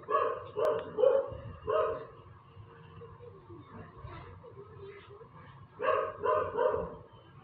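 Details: A dog barking on and on, described as still barking ever since: bursts of harmonic barks in quick runs of three or four around the start and end, with quieter murmuring between.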